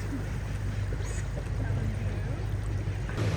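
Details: Steady low engine rumble and water noise from a river boat, with a faint voice and no animal calls.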